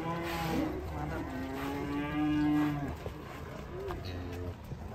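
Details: Agitated cow coming down from a fully loaded truck, giving a long, loud moo that rises and then holds steady for about three seconds, followed by a quieter, shorter low moo, with faint background noise.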